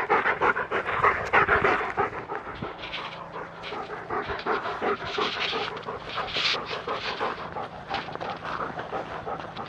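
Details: German Shepherd on a walk in the wood, panting hard in quick rhythmic breaths, about three per second, with occasional footsteps and rustling underfoot.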